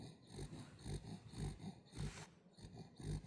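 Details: Sleeping Welsh Corgi puppy snoring softly, short nasal rasps roughly every half second in a small room, with a faint rustle midway.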